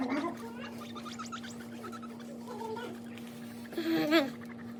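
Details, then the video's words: Guinea pigs making loud noises: a quick run of short, high squeaky chirps, then a louder wavering squeal near the end, over a steady low electrical hum with human voices at the start. "Funny and cute guinea pigs making Best Loud Noise"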